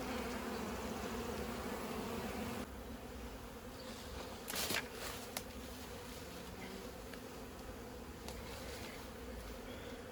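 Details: Honey bees swarming during removal of a 15-year-old hive from house siding, comb exposed: continuous droning buzz with a steady hum, a drop in level partway, a few brief clicks and knocks from handling.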